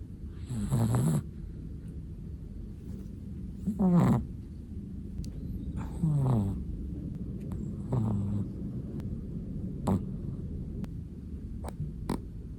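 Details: Black-and-tan long-coated Chihuahua fast asleep, giving low rasping snores roughly every two seconds, each a short throaty rattle, with faint clicks and quiet room noise between breaths.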